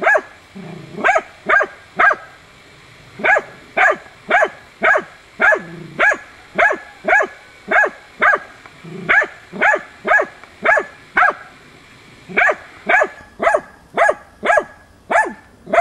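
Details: Hunting dog Tina persistently baying at young wild boar during training, 6 March 2013; steady series of sharp, loud barks at roughly two per second, a few brief pauses, with faint lower grunting sounds between barks.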